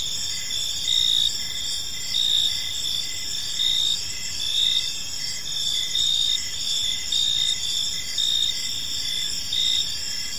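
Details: Crickets chirping in a peaceful park as evening unfolds; a dense, steady high-pitched chorus with pulsing bursts recurring roughly every second, layered over faint low background noise.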